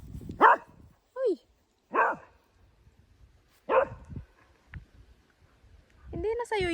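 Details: Dog barking at a tractor: three sharp, loud barks spaced over about four seconds, with people talking in between and a short voiced sound near the end.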